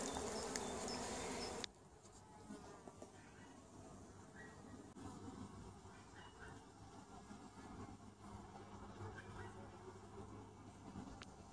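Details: Honey bees from apiary colonies emerging from winter 2017, checked by the beekeeper for winter losses; a loud broadband burst opens, then a soft, steady low droning hum of many bees continues.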